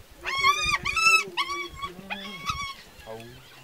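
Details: Hyenas feeding on a freshly killed young wildebeest in the wild give a run of loud, harmonic whining cries in short bursts, about five in quick succession, each wavering and then dropping, with a fainter lower cry at the end.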